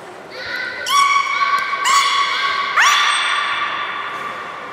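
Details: Belugas at Port of Nagoya Public Aquarium, the young group during a pool transfer and play time: a run of long, steady, harmonic whistles with rising swoops, several overlapping, in an echoing indoor hall.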